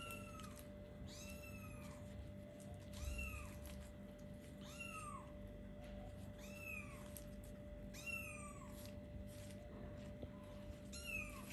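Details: Little kittens of about four weeks, playing and looking around, call in a run of clear high meows that drop in pitch, roughly one each second, over a continuous low hum.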